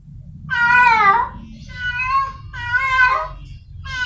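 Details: Wild cat in heat, calling while searching for a mate: drawn-out, wavering, nasal yowls about two-thirds of a second long, repeated roughly every second, three full calls and the start of a fourth over a low rumbling background.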